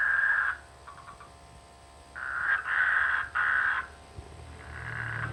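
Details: Rice-field frogs in the rainy season near a village give rough, buzzy croaks: one short burst, a pause, then a long broken run of rasping pulses and a softer trailing croak.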